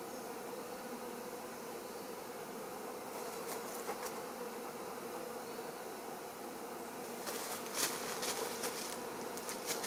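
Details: Wild honey bees nesting inside a fir trunk give a continuous, dense droning hum, with scattered sharp clicks and brief rustling knocks over the steady buzz.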